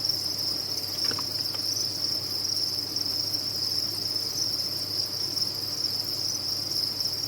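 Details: Many captive crickets on a cricket farm, a dense, unbroken chorus forming one steady high shimmering band. Brief faint ticks sound just after the first second over a low constant hum.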